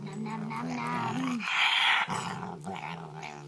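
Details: Pet dog vocalising in a speech-like 'talking' manner, a low modulated growl that bends upward, then a harsh breathy burst, followed by quieter grumbling moans.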